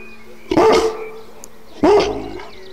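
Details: An Alaskan Malamute gives two short, rough, rising growl-howl bursts in response to ringing church bells, heard as a faint steady ringing tone.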